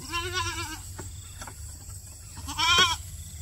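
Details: Goat eating grass gives two quavering, wavering bleats: a longer one at the start, then a short pause and a louder, higher bleat near the end, over a low rumbling background.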